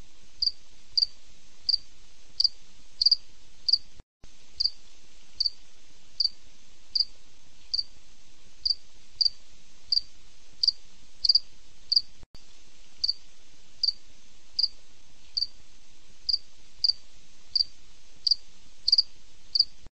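A cricket chirps steadily, short high pulses repeated about twice a second in a quiet night setting.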